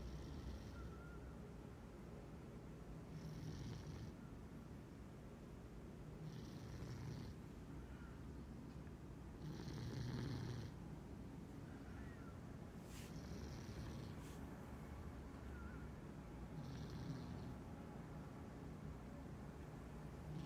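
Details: A cat snoring steadily as it dreams during the day, twitching in its sleep: regular cycles of low rumbling inhalations and hissy exhalations, repeated about every three to three and a half seconds.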